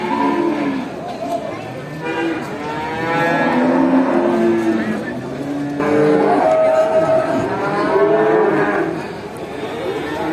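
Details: Hundreds of farm cows call to each other while being herded home to the barn after grazing; many overlapping moos of varied pitch, some rising and falling, rolling on continuously through the clip.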